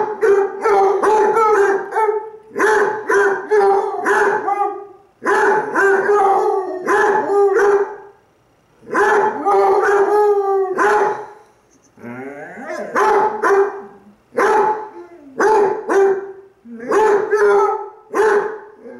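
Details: Pet Basset Hounds Cooper (brown) and Jahko (black) howling at each other, one lying on his side while answering; a long run of loud, rich baying bursts, each a second or two, repeating with short pauses and occasional quavering wavering notes.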